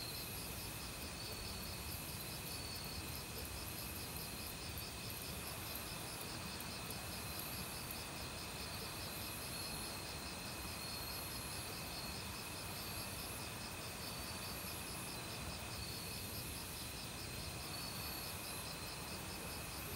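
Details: Forest crickets in autumn, singing alongside many other insects. A continuous run of fast pulsed trills over a steady high ringing tone, with the broad hiss of valley stream water underneath throughout.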